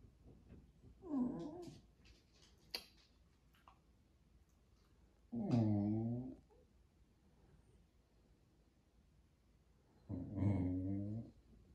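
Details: Pet Jack Russell Terrier "talking" indoors, trying to tell its owners something: three separate moaning, harmonic vocalizations, each about a second long, spaced roughly five seconds apart, with quiet room noise between them.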